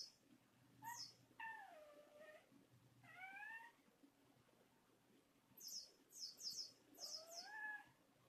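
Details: A male red-tabby-point Thai cat, born December 2013, jealously complains with long, nasal, downward-sliding wailing meows and high squeaks while a kitten plays with a toy mouse; a person softly tells him to calm down.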